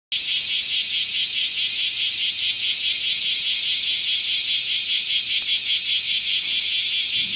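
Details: Bear cicadas sing in summer from a bayberry tree in a garden in Japan: a loud, harsh, shrill buzz pulsing steadily about twice a second.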